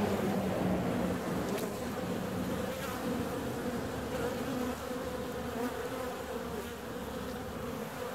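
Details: Honey bees flying out on a warm February day: a steady, loud droning hum with layered tones, fairly constant throughout with slight swells.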